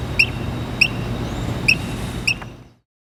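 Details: Squirrel perched on a water valve, chirping like a bird: four short, sharp high chirps spaced about half a second apart over steady background hiss, then silence.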